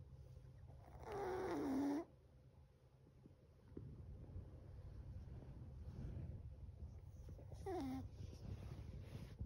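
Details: Sleeping seven-month-old Chihuahua snoring loudly, with one long whistly, wavering snore near the start, softer breathing noise in the middle, and a shorter squeaky snore near the end over a low steady hum.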